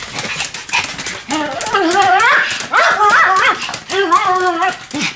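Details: Sam and Marin, a pair of Pomeranians, barking in duet: three loud bursts of rising, yodelling, harmonic yowl-barks, the middle burst wildest and most warbling, with faint clicks behind.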